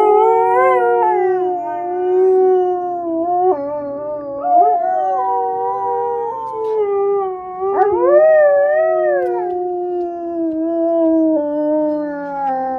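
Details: Alaskan Malamute howling in long, sliding tones that rise and fall, with several overlapping wavering voices and swoops upward around the middle, sustained for the whole stretch with only brief breaks.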